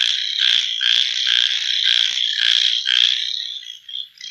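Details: Night chorus of frogs, a continuous shrill buzzing wall of overlapping high trills that pulses in waves, then thins and drops away near the end.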